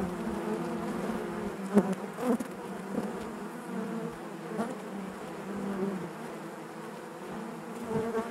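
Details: Steady buzzing of honey bees inside the hive, a low continuous hum with occasional sharp ticks and brief louder bursts.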